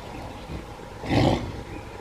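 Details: Bengal tiger at Nahargarh Biological Park giving one short, deep, broad roar that swells and fades within about a third of a second, heard over a steady low background hum.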